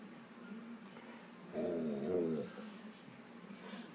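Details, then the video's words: Argumentative Alaskan Malamute "talking": one drawn-out, rich moaning vocalization lasting about a second, with many stacked tones, rising slightly then falling away in a quiet indoor setting. "Talking Malamute"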